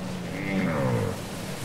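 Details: Whale song from a cassette recording: a short sliding wail with stacked tones, sweeping upward and then down, heard over low rumbling background noise.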